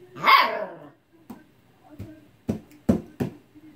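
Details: Husky puppy frustrated with an unplayful old cat lets out one loud, harsh bark, followed by a run of soft thumps and clicks, possibly paws on the floor, with quiet between.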